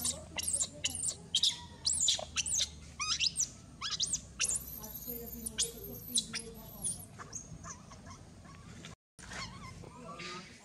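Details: Baby monkey Mila, bitten and mistreated by her mother, cries loudly: shrill, high arching screams come in rapid irregular bursts, some sliding up and down, with a short silent gap near the end.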